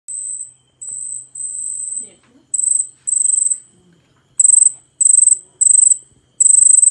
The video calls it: CICADA. ചീവീട്